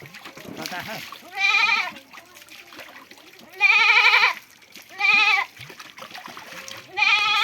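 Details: A goat is washed with soap to remove lice and bleats four times, loud, quavering and strained, in bursts roughly a second apart. Splashing water and voices fill the gaps between cries.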